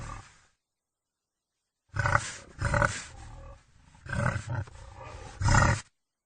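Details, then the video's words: A wild boar utters harsh, low growling grunts, starting with a brief trailing sound and then, after a pause, a run of four choppy bursts over about four seconds. "Wild boar sounds Wild boar sound effect"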